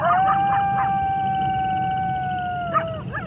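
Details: A long, smooth wolf howl held at one even pitch for nearly three seconds, fading gently at the close, with shorter broken yips and wavering cries from other voices at the start and end.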